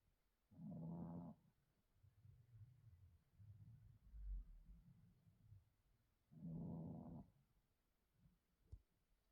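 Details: Kiki, an 8-year-old female Chihuahua, sleeping at home after being recently spayed and going into false pregnancy; two low, rumbling snores about six seconds apart, with soft, raspy breathing in between in a quiet room.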